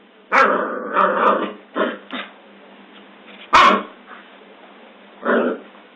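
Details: Scottish Terrier barking: a long, rough bark opens, then short sharp barks spaced unevenly across six seconds, the sound thin and band-limited, with quiet pauses between bursts.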